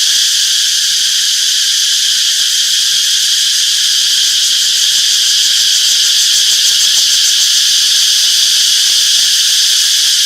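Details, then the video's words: Many cicadas chirping together in a summer forest, a sustained piercing buzz with stacked high tones and a slight rapid throbbing, unchanging intensity across the whole stretch. "Relaxing Cicadas Chirping Sounds - Peaceful Summer Forest"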